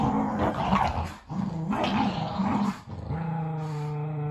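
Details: Boston Terrier and Keeshond growling while fighting over a carrot indoors: rough, rumbling growls in bursts about a second long, with brief pauses, ending in a steadier, more tonal growl.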